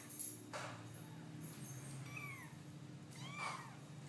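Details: Cat giving soft, thin meows, a brief one near two seconds and a louder one around three and a half seconds, over low steady background hum.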